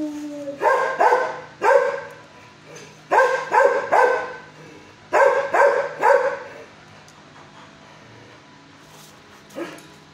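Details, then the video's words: Adult dog, six years old, housed in a shelter kennel and barking at a visitor; barks come in quick clusters of two or three, repeated about every one and a half seconds, then fade into quiet with one last short bark. "at 1st he barks but calm neighbor showed way"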